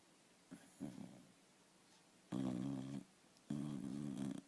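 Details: A sleeping dog snores in a quiet indoor setting. Low, buzzy, rattling snores of under a second each come after two faint shorter breaths, with quiet pauses between them.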